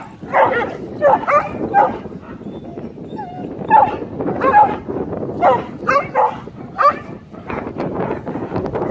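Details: Greyhounds and a Saluki meeting loose sheep roaming a neighborhood in Forney, Texas: a rapid series of sharp barks and yips, roughly one every second, with a person calling to the dogs.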